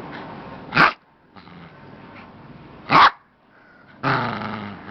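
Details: Little pet dog at play with its stuffed bear toy, letting out gruff growls mixed with sharp bark-like bursts, two loud snaps about two seconds apart, then a sustained rumbling growl, recorded indoors.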